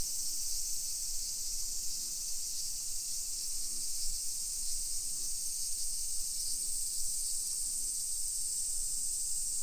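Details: Cicadas in summer, Nisshin city near Nagoya, Japan, 1 PM on 28 July 2021, walking through a modern neighborhood. A constant, sizzling high drone dominates, with brief low hums recurring beneath and light ambient noise.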